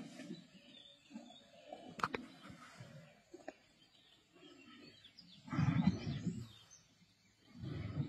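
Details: Black Dam male lions feeding on a kill alongside the Avoca Pride in the Sabi Sands, 31 March 2024; low, rough snarling bursts break out around the carcass, loudest near the end, with faint birdsong and scattered clicks between.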